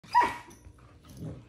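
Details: A Doberman Pinscher puppy barks once, short and sharp, while play-fighting indoors. A fainter, lower grumble follows about a second later.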